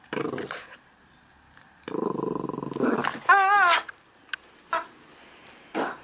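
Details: Morning play with Max, a Yorkie-schnauzer mix dog born in 2006: a brief sharp yap, then a sustained gravelly growl followed by a rising-and-falling whine, ending with a few scattered soft thumps.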